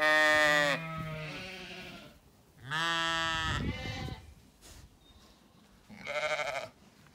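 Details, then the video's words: Zwartbles ewes on a farm in County Kilkenny, Ireland, calling at feeding time on a sunny day in an orchard before the apple blossom; loud, harmonic bleats, three in the clip, each about a second long with quiet gaps between. "Dinner bell rings, ewes call & stampeeeeeede occurs as gate opens"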